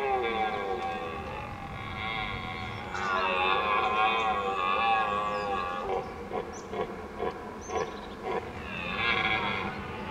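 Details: Red deer stags roar during the 2022 rut to impress rivals, giving deep, drawn-out, wavering roars rich in harmonics, followed by shorter grunting bursts.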